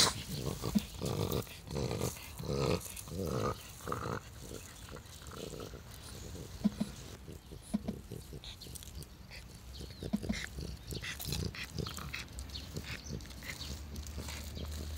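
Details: Old French Bulldog, twelve years of age, filmed on 15 July 2016; heavy rhythmic snorting and grunting breaths, roughly eighty per minute, loudest in the first few seconds, then continuing more softly.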